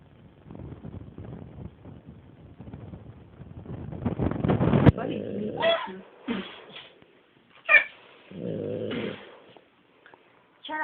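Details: Female pet dog, awake rather than asleep, makes a rough, raspy snoring noise that grows louder over about five seconds, followed by human speech.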